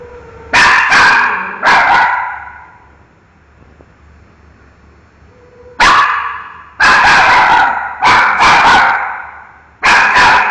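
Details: Miki, a dog, barks at a mango in bursts: a pair of sharp barks, a pause of several seconds, then a rapid run of five loud barks with ringing room echoes.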